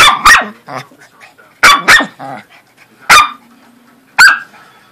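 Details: During play between a corgi and a Pomeranian, loud high barks come in quick doubles and singles: two pairs, then two lone barks, with soft grunts and a low hum between.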